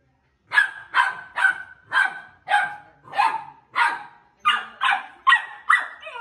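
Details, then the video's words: Pit Bull Terrier puppies meeting and play-fighting, giving a steady series of high, sharp yapping barks roughly every half second, each with a brief ringing tone, growing slightly quicker toward the end. "Pitbull Puppy Fighting"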